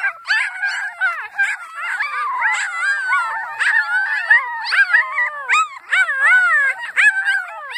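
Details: A litter of Annie's puppies joins in a continuous howl, many high, quavering voices weaving over one another with frequent rising and falling slides and brief yelps.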